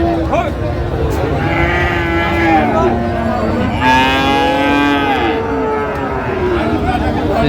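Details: Friesian and cross-breed bull calves are traded at Raniganj market, Dinajpur, Bangladesh, on a Thursday. A deep moo opens the recording, and a louder rising, falling bellow follows near the middle. Steady market chatter continues behind.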